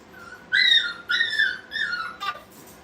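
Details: Brittany puppies at playtime in a puppy training kennel: three drawn-out, high, tonal whines, each holding then sliding slightly downward, closed by a short sharp yelp, with quiet background.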